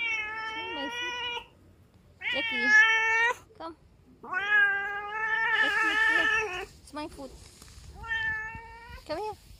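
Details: A neighbour's pet cat, coaxed over to sniff a foot indoors, meows repeatedly: drawn-out, harmonic, slightly wavering cries of one to two seconds, four or five in a row with short pauses, plus a brief hiss-like noise midway.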